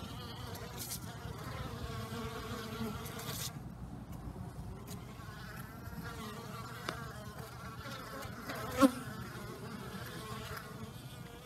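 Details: Many honey bees active outdoors on a pleasant, unusually warm winter day following heavy overnight rain, giving a steady low hum of wings with shifting buzzy overtones and a brief sharp click near the end.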